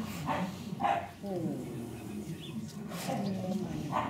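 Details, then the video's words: Cane Corso pups aged five weeks, recorded 10 April 2011, give brief squeaky whimpers in pairs with a thin wavering whine in between, while a German voice talks gently underneath. "Die Cane Corso Welpen mit 5 Wochen"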